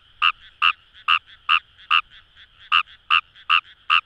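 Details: Rice-field frog Fejervarya kawamurai at Itoshima, Fukuoka, Japan, by the Kamo River: a fast run of ten loud, punchy croaks roughly every half second, fairly steady rhythm, with a soft frog chorus underneath.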